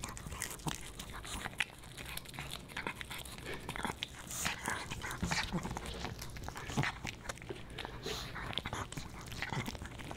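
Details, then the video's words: Boba Bear the Pomeranian puppy crunching dog-friendly potato chips with his fish; dense crisp crunches and bites repeating steadily over ten seconds in a small indoor room. "Animal Mukbang & ASMR: Puppy Dog Eats Fish N' Chips"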